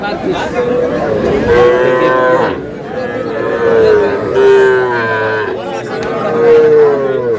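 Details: Cattle at a livestock market in Rangpur, Bangladesh, where small bull and heifer calves are being bought: drawn-out nasal moos, several overlapping, each lasting one to two seconds, with steady loud background murmur.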